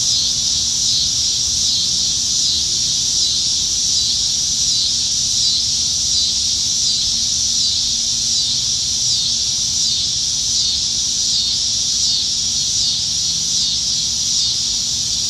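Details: Cicadas singing up in the trees on a July 2019 summertime evening in Nebraska, plentiful in the dog days of summer; a dense, unbroken high buzzing chorus with gentle pulsing waves runs steadily throughout.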